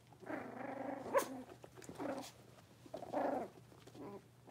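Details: Young blenheim Cavalier King Charles Spaniel puppies, born to Paris and Spike, settling into a larger puppy pen. Two short, rough, harmonic growling yaps about two seconds apart, with a sharp click between them.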